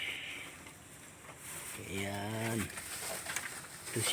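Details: Goat on a farm where a kid was just born, letting out one wavering, vibrato bleat under a second long, with quiet voices and rustling around it.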